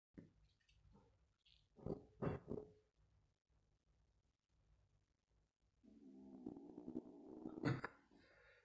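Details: Zorro, a male farm kitten, guards his toy and growls when people come close to it. After soft scattered noises and a few brief bursts, a steady low rumbling growl with layered tones lasts for the final three seconds, indoors.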